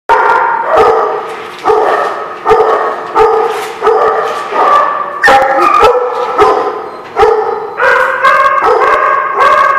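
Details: Dog barking at The Barking Lot on 2/11/17: loud, harmonic barks about every two thirds of a second, some pitched higher toward the end, with no other clear sounds.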